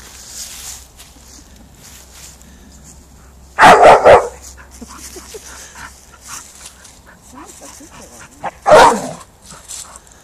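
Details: Bull terrier angry at not getting what it wants: a quick cluster of three loud, harsh barks, then near silence with faint rustling, and about five seconds later a single strong bark burst.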